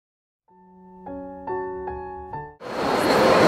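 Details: Electronic chime-like tones sound in steady repeated chords, then give way to a loud broadband rush of noise with no animal voice.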